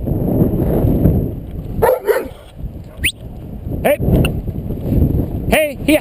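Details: Mishka, an 18-month-old Alaskan Malamute, playing rough in the snow at minus 6 degrees on Sunday 9th December: bursts of short arched, harmonic yelps and woo-like vocalizations, one sharply rising, over rumbling scuffle noise, with a man's shouts.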